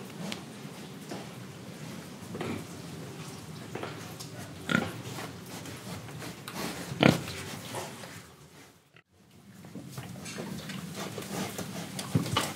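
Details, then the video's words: Pig in Indonesia, breathing and eating, with scattered short grunts and snuffles over a steady low rustling background, a couple of sharper clicks, and a brief silent gap partway through. "Pig Sound Effects Oink Oink, Breathing & Eating"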